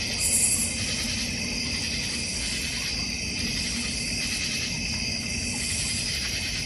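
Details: Many crickets trill together in a North Georgia Mountains backyard beside a goldfish pond and bird feeder. The high, even drone throbs gently about once a second, with one short bright burst near the start.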